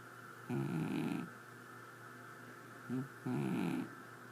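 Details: Snoring from a sleeping cat, two raspy, rattling breaths roughly three seconds apart with a short snort between them, a faint steady hum in the background.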